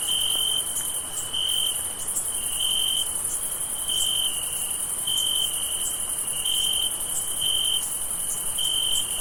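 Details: Summer night crickets chirp in steady, high-pitched pulsing trills, with a fainter, higher insect chorus hissing beneath.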